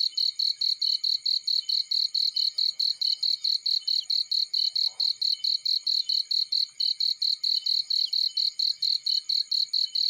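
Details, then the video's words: In a field, a cricket keeps up rapid, regular shrill chirps, about four pulses each second throughout, with a brief faint rustle midway and otherwise still surroundings. "Warm Relaxing Fireplace In Field || Burning with Cricket Sounds"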